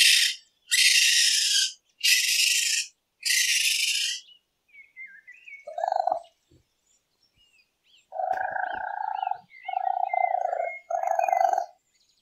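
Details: Raccoon calling at night: four rasping hiss-like bursts, then quieter clicks and soft chirps, followed by three drawn-out, nasal, trilling tones of steady pitch.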